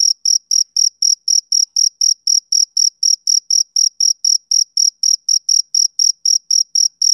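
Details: Steady high chirps of a male cricket in summer evening, short tonal pulses following one another close to four times a second in an unvarying rhythm, no background sounds.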